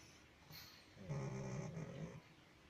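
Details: Pug snoring: a single rough, low rumbling breath lasting about a second, with a faint higher noise just before it.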